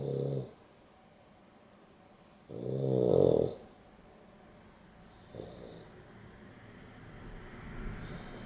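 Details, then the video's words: Dexter, napping with Rio, a Boston Terrier and a Beagle cross, gives loud throaty snores on an afternoon nap: a short snore, then a long rumbling one swelling to a rasp, a faint third, then soft rising breathing noise. "Boston Terrier and Beagle X (Dexter and Rio) snoring"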